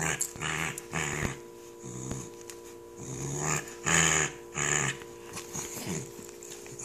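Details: Female corgi indoors, grumbling while struggling to take off her velcro Thundershirt. Low, rough growls come in short bursts, several in a row with uneven gaps. Crackling velcro noises and a woman's voice are heard.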